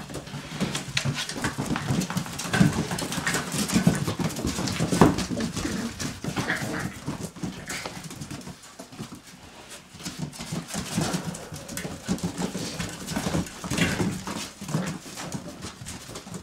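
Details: Border Collie puppies indoors in a small room, giving soft, brief whimpers that come and go among steady scuffling, pattering paws and clatter, with a few louder bursts near the middle.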